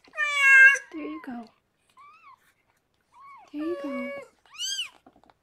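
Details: Mews from the litter of six kittens born to the rescued foster cat Harlequin indoors: short arched squeaks mixed with a longer, richer cry, and a human voice also present.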